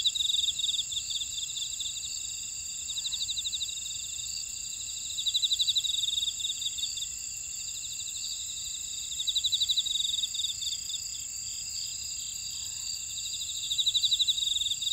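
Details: Insect chorus from a buckwheat field in Ora-dong, Jeju City, South Korea: constant high-pitched ringing beneath short, loud bursts of fast pulsed chirping that return about every four seconds.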